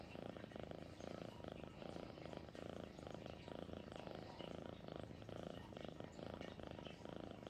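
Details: Domestic cat named Sweet Pea purring steadily, a low, even rumble of rapid pulses continuing throughout without pause, close to the microphone indoors.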